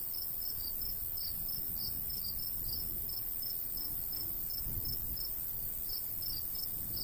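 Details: High, bright cricket chirps come in quick bursts across a golden wheat field on a summer day, accompanied by a gentle breeze rustling low in the background.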